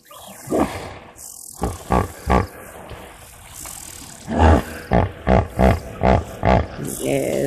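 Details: Hippopotamus calling live at a waterhole on 18 March 2024, loud enough to prompt a question about their big noise; deep, rasping honks come in a rhythmic burst of about eight pulses after a pause, with faint birds and insects behind.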